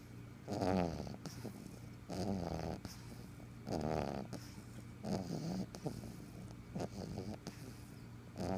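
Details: A black pug snores in loud, rattling, low breaths repeated every second or two.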